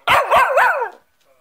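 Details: Cockapoo answering back after its owner says sit: a drawn-out, wavering whine-howl of about one second with two or three rising and falling swoops, ending in a dropping tail.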